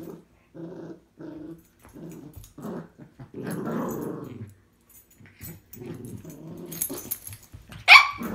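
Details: Two Cavalier King Charles Spaniels (Canis familiaris), a tricolour and a Blenheim, trade grumbling growls and short yaps as they fight over a piece of string.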